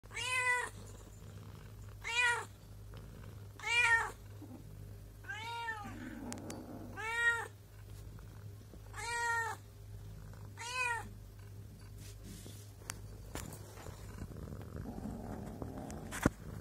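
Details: Pregnant mother cat with two kittens: a series of clear, harmonic meows, each short with a slight rise and fall, repeated roughly every one and a half seconds, about eight calls, in a quiet indoor setting with a low steady hum.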